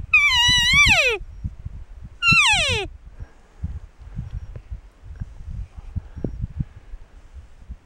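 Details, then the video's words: A big, narrow-antlered bull elk bugles twice during the September rut, a high whistling squeal that rises and then slides down. "Big Bull Elk bugling - Elk Rut"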